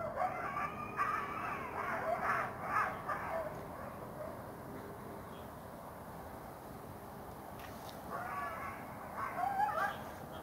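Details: Coyotes barking, yipping and yapping from a forest during an evening-into-night walk on the September full moon, September 24. Two bouts of high, harsh yelping barks in rapid, uneven bursts, the first running several seconds and a shorter second burst later, separated by quiet.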